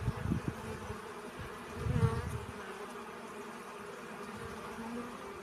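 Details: Faint humming of bees gathering pollen: a low, even drone with a thin higher overtone, two short louder swells of passing buzz near the start and middle, then a quiet steady hum.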